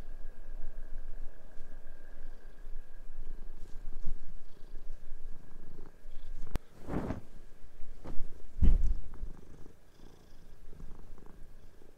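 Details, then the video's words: House cat on its owner's bed during a sheet change, two cats playing and chasing; continuous deep purring pulses under the whole stretch, broken by loud bursts of sheet rustling and thuds around seven and nine seconds. "My cat doesn't let me change sheets, ended up in a cute cat fight"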